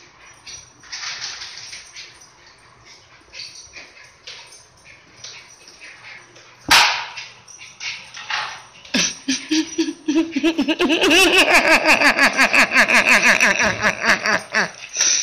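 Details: Jack Russell Terrier pet dog. Quiet shuffling at first, then from about nine seconds a rapid, excited run of high, whiny yaps and barks repeating nearly three times a second until the end.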